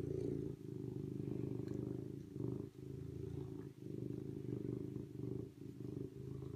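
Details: Serval purring in a continuous low vibrating drone, nearly unbroken, with brief dips around two and a half and four seconds and faint rustling in the background.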